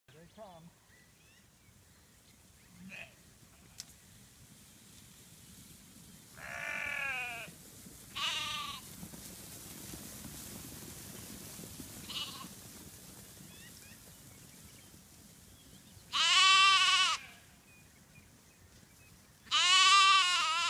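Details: Black Welsh Mountain sheep just moved to fresh grass, ewes racing off to eat while lambs run and play; several loud, wavering, quavering bleats at irregular intervals, the last two longest and strongest, with a few short faint calls between.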